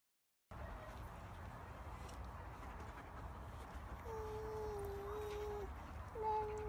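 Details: German Shepherd dog playing with and guarding babies gives a long, thin, steady whine lasting over a second. A second short whine follows, over a low, constant background hum.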